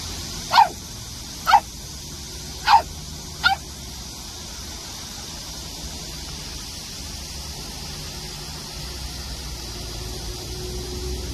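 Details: A grey Pungsan puppy meeting the household cat for the first time, playfully pestering it, gives four short, sharp yips in quick succession, then falls quiet.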